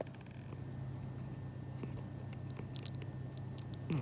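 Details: A sleeping cat, likely dreaming of eating, makes soft wet lip-smacking and chewing clicks in quick, irregular bursts over a steady low indoor hum.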